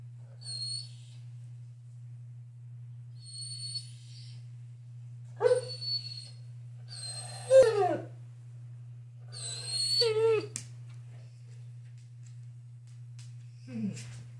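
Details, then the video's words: Great Pyrenees dog talking at home: several whiny, wavering howl-like vocalizations with sliding pitch, spaced a few seconds apart, over a steady low electrical hum, with faint high squeaks early on. "Great Pyrenees talking"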